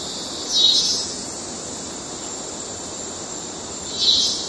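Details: Male cicadas courtship calling in Kerala wildlife: a steady, very high, hissing drone runs throughout, swelling into brighter rasping bursts near the start and again near the end.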